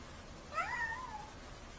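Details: A kitten gives a single short meow, rising then sliding down in a thin wavering tone, over a steady low hum of room noise.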